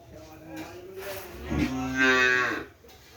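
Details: Kerapan racing cattle of the Madura breed from Sapudi Island, at a village holding. A low lowing swells in the second half into a louder, rising moo lasting about a second before cutting off.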